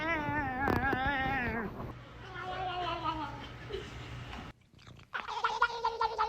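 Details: Domestic cat making strange, drawn-out wavering yowls: a long rich tone for nearly two seconds, then shorter warbling calls, with music and a person speaking.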